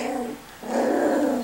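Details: Miniature Schnauzer puppies, 4 and 6 weeks old, from the Custards and Puddings litters, indoors: a low, drawn-out growling whine, briefly broken, then resumes steady and louder for nearly a second.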